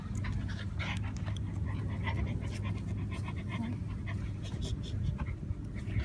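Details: A 12-week-old corgi puppy pants in quick, breathy bursts over a steady low rumble of handling noise.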